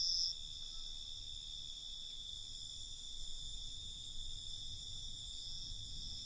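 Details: Crickets at night in a relaxation soundscape: a steady high shrill trill held without a break, with several layered bands of chirping and a faint low rumble underneath.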